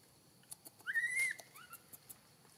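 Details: Hungry newborn macaque, kept away from milk for a long time after Tarzanna kidnapped her, Siem Reap Province: one loud drawn-out whistled wail lasting about half a second, then a softer short upward cry, over light tapping sounds.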